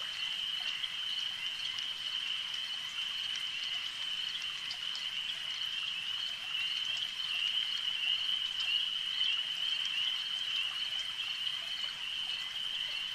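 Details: Frogs calling at a lake in a dense, continuous chorus, forming a steady high-pitched trilling drone with faint irregular pulses layered over it, and a soft background hiss throughout.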